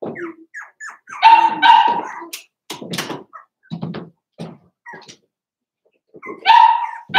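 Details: Cavalier King Charles Spaniel puppies, four weeks old, from Daisy's litter in an indoor pen: short harmonic whimpers and whines, a few louder drawn-out cries near the start and end, separated by soft thumps and quiet gaps.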